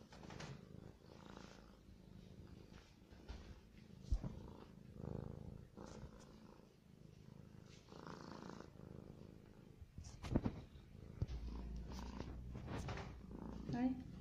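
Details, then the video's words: A hungry cat eating, heard as a soft, low, steady rumble broken by rhythmic muffled chewing bursts about every second, with a few sharper clicks near the end in a quiet room. "صوت القطة وهي تأكل"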